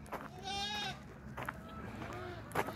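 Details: On a winter morning on a farm, goats and baby goats wait at the fence for breakfast and bleat in a wavering, nasal tone, one long bleat then softer ones, while a person talks nearby.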